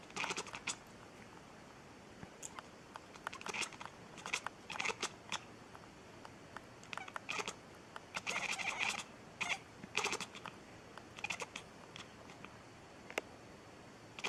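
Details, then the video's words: Domestic cat making a strange sound indoors: rapid, irregular bursts of sharp clicky chirps and crackles, clustered in quick runs with brief gaps, filling the whole stretch. "Cat's strange sound. Cats make strange sound"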